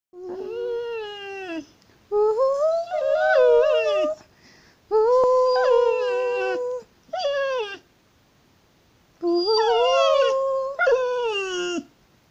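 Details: An American Staffordshire Terrier dog "sings", giving long, wavering howls that rise and fall, broken by short pauses, while its owner encourages it.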